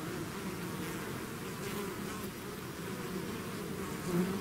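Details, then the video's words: Swarming bees out of their hive produce a thick, unbroken droning hum, low and even throughout, with individual buzzing tones drifting slightly in pitch over the constant wash of wingbeats. "bees therapy swarm natural buzzing sound"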